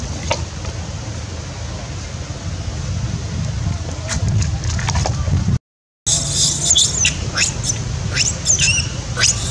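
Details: Baby monkey in the Angkor Park area crying loudly after being hit by two other monkeys, Pop Eye and Sweet Pea; shrill, wavering squeals burst out in the second half over a steady low rumble of engine and traffic noise.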